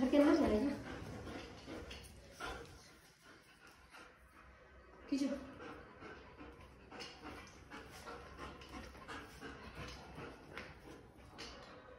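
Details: Mango, a pet German Shepherd, playing tug-of-war: a short gruff growl-like burst at the start and another around five seconds, then quieter panting and scuffling under intermittent human speech.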